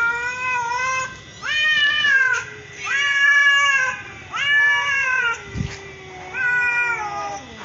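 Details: Mother and daughter cats of the same colour calling: loud drawn-out meows that rise then fall, roughly one every one and a half seconds, with a brief thump midway.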